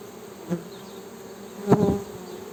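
A honey bee's low, steady wing buzz that swells louder as it passes close.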